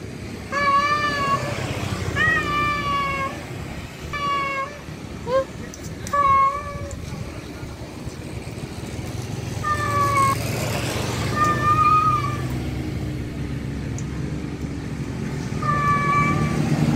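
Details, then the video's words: Male cat calling a wild female: a run of four quick meows early on, then after a quiet stretch several more spaced-out wails, each clear and steady-pitched, against a continuous low rumble of distant traffic. "Suara Jantan Kucing Panggil betina Liar"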